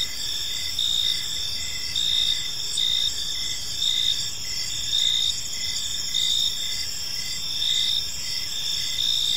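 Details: Crickets chirping through an evening in a peaceful park, high sustained trills and rhythmic pulsed chirps roughly once a second overlapping from multiple insects, with a faint low hum of distant surroundings.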